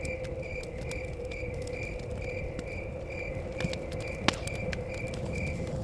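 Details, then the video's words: Evenly spaced, shrill cricket chirps near a cabin in the forest, joined by intermittent fire crackles, one loud snap, a deep wind rumble and a steady hum. "Chirping Crickets"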